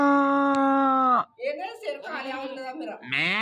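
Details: Newly bought goat calling without stopping: a long, steady, nasal bleat for over a second that drops sharply at the end, then shorter wavering, quavering bleats and a final rising cry, in a small indoor space.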